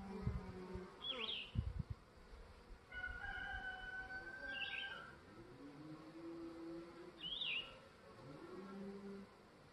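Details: Honey bees flying at the landing board of a new Langstroth hive on the third morning, once the rain has passed. Wavering buzzes rise and fall as bees pass close, with bird calls around them and a few knocks early on.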